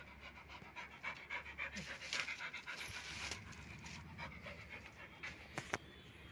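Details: A dog panting in rapid, uneven bursts, about 220 puffs a minute, with a person talking in Marathi nearby and brief clicks and rustles.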